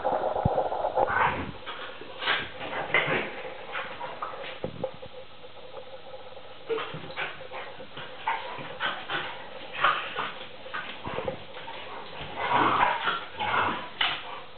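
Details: Tarka, a Vizsla puppy three and a half months old, plays rough with a pointer named NooNoo, looking like a fight but only play; scattered short growls, yips and scuffling noises come in bursts, louder near the end.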